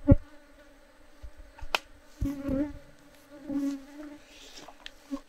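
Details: Japanese honey bees (Apis cerana japonica) kept in a traditional downward-comb hive in Japan, natural beekeeping, during honey harvest. A low steady hum swells into louder buzzing bursts, mixed with sharp clicks and knocks of tools on the hive.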